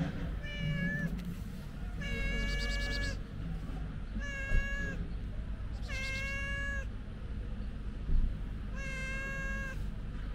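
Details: Stray white cat meowing outdoors near a bench table: five long, harmonic-rich meows spaced roughly every two seconds, each steady and slightly falling at the end, over constant low traffic rumble.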